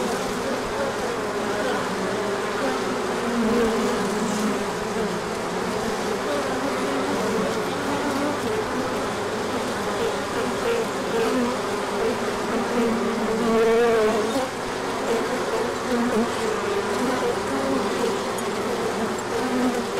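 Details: Colony bees on an orientation flight in spring sunshine following cold weather, March 2024; thick steady buzzing of many wings, one louder bee droning close by mid-way.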